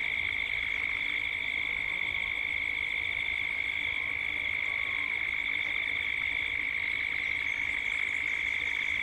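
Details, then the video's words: At dusk in Gippsland, Australia, cicadas keep up a continuous high-pitched pulsing buzz, recorded as 3D ambience. Faint, brief bird notes slide in near the middle. "Cicadas at dusk, Australia, Gippsland."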